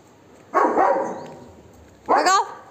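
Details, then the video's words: Golden Retriever barking aggressively at monkeys to chase them away: two loud harsh barks about one and a half seconds apart, the second with a yelping edge, against a quiet background. "Dog Barking on His Friend Or Enemy? | Golden Retriever"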